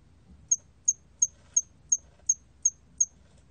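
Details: Hairy cricket, from a 2020 national biological resources collection: eight short, very high, pure chirps spaced evenly about every third of a second against a quiet background.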